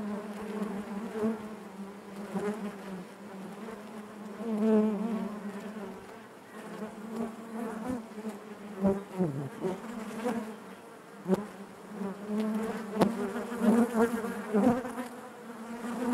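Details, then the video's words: A crowded honey bee hive hums with a constant low buzz and rich overtones; the drone wavers in pitch and volume, with a few faint clicks scattered throughout. "bees therapy hive natural buzzing sound"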